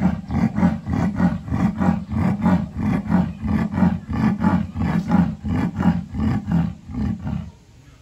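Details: Leopard named Ike, kept at Tobe Zoo in Japan, on 18 July 2020, giving a long, steady series of rough, low sawing grunts, close to two per second and evenly spaced, before fading out in the last second.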